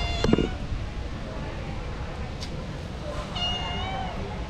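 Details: Female street cat crying while asking for food; a sharp knock at the start, then a single drawn-out, slightly wavering meow near the end over continuous low background noise.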